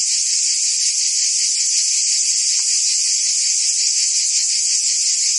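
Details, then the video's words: Summer chorus of cicadas in Provence, France, a continuous shrill electric buzz at constant loudness, lightly pulsed underneath, with a few faint clicks and nothing else standing out. "Cicadas singing in France (Provence)"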